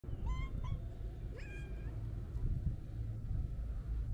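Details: Stray Siamese mix cat giving three short, high meows in the first two seconds, the last one a little longer and level. A steady low rumble of outdoor noise runs underneath throughout.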